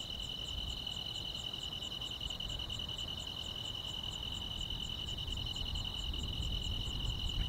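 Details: Grass insects chirping on a quiet countryside summer night: a steady, unbroken high trill runs throughout, overlaid by a fainter, even series of short high ticks at roughly three per second, with a low rumble of background noise beneath.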